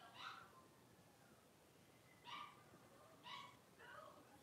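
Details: A litter of five young blenheim Cavalier King Charles Spaniels at play in their home puppy pen. Four sharp, bright yips, the first alone and then three within two seconds, rise over a quiet, faintly noisy room.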